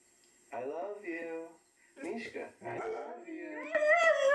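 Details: Three-year-old male black Labrador Retriever indoors at home, howling and whining in reaction to talking husky videos on the TV; wavering, harmonic wails in several short phrases with brief gaps, climbing to a higher, strained whine at the end.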